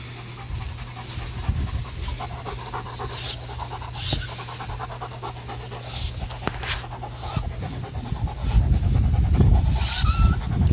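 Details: Panting German Shepherd Ruger at play with a Jolly Ball Tug n Toss; fast regular breathy pants, about three per second, with scattered bright clicks and rustles, growing louder toward the end.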